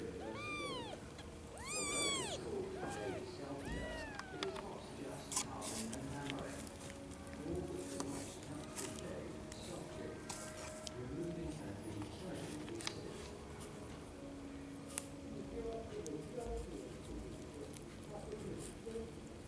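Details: A cluster of rapid, overlapping kitten mews in the opening seconds, then only handling rustle and low hum, from sleepy kittens whose eyes have just opened.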